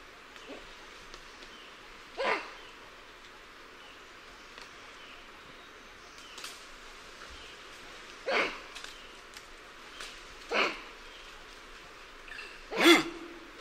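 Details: Alarm calls of lion-tailed and bonnet macaques, heard from varying perspectives: four short, harsh, bark-like calls at uneven intervals, some louder and nearer than others, with faint clicks between them against a quiet hiss.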